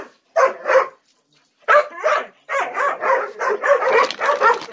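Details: Gollie puppies, ten months old, wait for their morning breakfast with adults nearby; two quick yelps, a short silence, another pair, then an unbroken run of eager whining yips.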